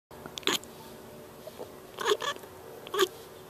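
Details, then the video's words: Pet cat chirping at birds: three short bright chirps near 0.5, 2.1 and 3.0 seconds, with faint clicks between, indoors and otherwise quiet. "kitty chirp"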